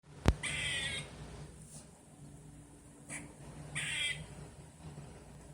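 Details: Squirrel calling outdoors, at first mistaken for a bird: two harsh, raspy, broadband bursts about three seconds apart, the first strongest, with a sharp click at the start and a low steady hum underneath.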